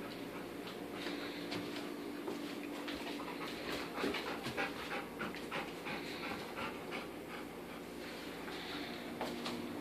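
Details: English Cream Golden Retriever puppy, 11 months old, sitting indoors and following a plate of porterhouse steaks, hoping for a treat; rapid, breathy panting runs steadily throughout, a few soft clicks and rustles behind it.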